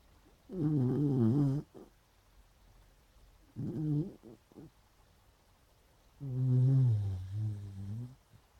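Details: Beagles snoring and dreaming while asleep: three slow, drawn-out nasal snores with a low, rumbling harmonic buzz, each lasting about one to two seconds, separated by quiet breathing pauses.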